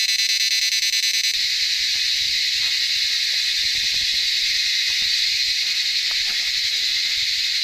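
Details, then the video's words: A dense, shrill chorus of crickets rings steadily along a forest road at Kolakham, Kalimpong, North Bengal, a high continuous buzzing that never pauses, alongside birds in the jungle. "এই পুরো রাস্তা জুড়ে কিন্তু ঝিরি পোকা ডাকছে এইরকম"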